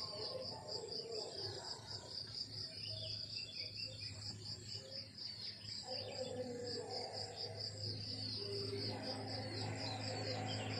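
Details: Countryside crickets in the morning give a continuous high pulsed chirping, beating rapidly and evenly, while lower rumbling and scattered mid-pitched sounds come and go beneath, possibly other birds or distant activity.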